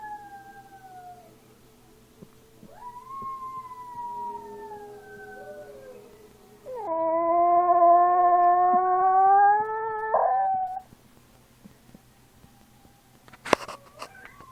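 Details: Small dog giving wavering howls: early falling and rising tones, then a louder sustained howl from about 7 s holding a steady pitch for some three seconds before breaking off, with a sharp click near the end and faint background hum.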